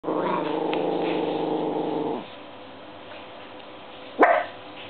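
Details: Pet dog indoors reacting to a washing machine running on its dry cycle, which spins differently than usual; a sustained low harmonic growl lasting about two seconds, a quiet pause, then one sharp bark.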